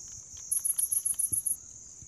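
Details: Grass insects chirping: eight quick, evenly spaced very high pulses in a row over a steady high ringing drone, with soft low thumps beneath.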